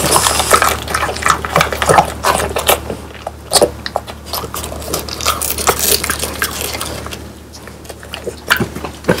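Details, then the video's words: Pang, Kun and Ppo, French Bulldogs, chewing bony dried quail prepared at home; a steady patter of small crunches and clicks, roughly two or three a second, louder at the start and tapering toward the end. "강아지 먹방 ASMR 통메추리를 건조시켜 바삭하게 먹어봤어요"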